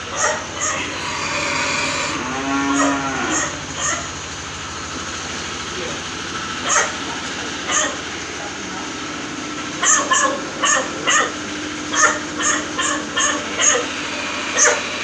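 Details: Cattle at a fattening farm in Ciharalang village, Ciamis, where PO, crossbred and Limousin cattle are raised: one arched, harmonic moo of about a second early on, amid repeated sharp metallic clanks and a steady low hum.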